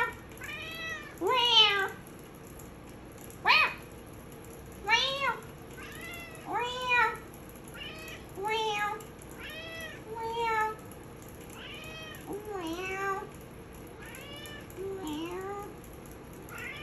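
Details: Maine Coon cat meowing in a sing-along with its owner indoors: about a dozen arched, wavering meows, some short and sharp, others drawn out and bending down at the end, coming at uneven intervals.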